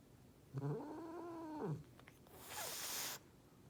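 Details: Angry domestic cat giving a threatening drawn-out growling yowl lasting about a second, wavering in pitch, followed by a sharp hissing burst of noise.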